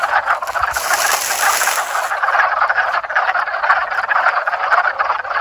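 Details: Backyard pond frogs in mating season 2021, a thick unbroken chorus of rapid pulsed croaks from many callers, steady in loudness throughout, with a thin high whine present early on.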